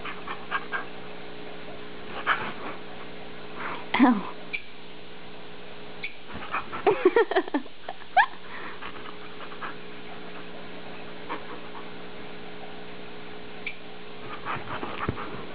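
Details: Standard Poodle Ginger mouthing and play biting in a gentle game, snorting as she plays; sparse snuffles, then a cluster of short whiny yips around the middle over a constant low electrical hum.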